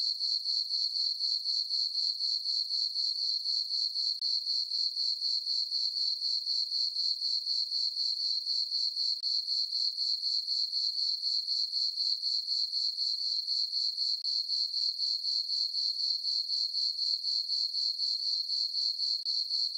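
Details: High, bright cricket chirps from a farm meadow at night in summer under a full moon, repeating steadily about four per second in a smooth, unchanging rhythm without other sounds.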